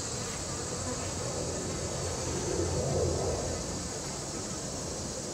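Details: Western honey bees, marked with paint dots for bee hunting, feed on sugar syrup at a feeder and will recruit nestmates; their steady, low droning buzz of many wings sounds close by.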